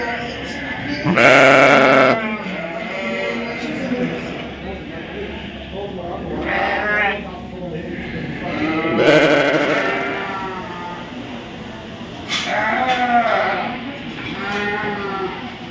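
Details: Sheep bleating at the Royal Winter Fair 2023, Toronto, Canada: four wavering bleats spaced several seconds apart, some loud and some softer, over constant crowd chatter in an indoor hall.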